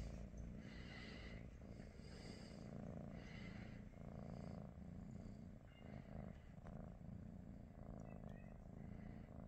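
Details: Low, even purr of a British Shorthair cat on a morning with its companions Pikachu, Teddy and Rosie, rising and falling with each breath roughly every one to two seconds, a few light clicks toward the end.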